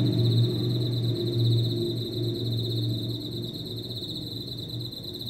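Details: Insect singing from potted plants inside a home, a continuous high shrill trill running steadily over a low droning hum.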